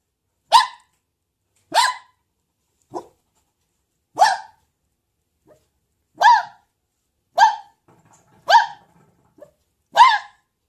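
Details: Red fox. A red fox calls in a string of short, harsh barks, each a quick yelp with a raspy edge. They come one at a time, spaced about a second apart, against an otherwise quiet background.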